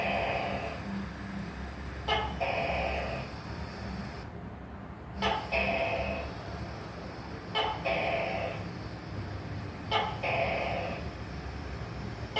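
A tokay gecko gives loud, two-part croaking calls, repeated about every two and a half seconds.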